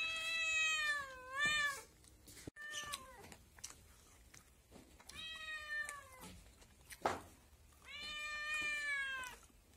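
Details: A kitten mews repeatedly in long, wavering cries, the first bending up then down, followed by softer short calls; clicks and light handling noises sound between the meows.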